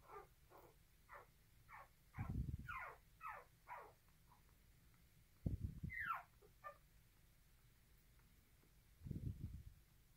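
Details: Aggressive nursing by a poodle puppy, heard as short high whines and squeaks in loose bursts, some sliding downward and one longer rising-then-falling cry, with occasional low muffled thuds between them.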